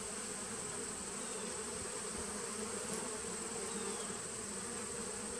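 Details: Bees in a nuc colony dating from 2017, recorded 19 September 2018: a steady, dense droning hum with a low pitched band and a brighter overtone above it, continuous without pauses, over a hiss of background noise.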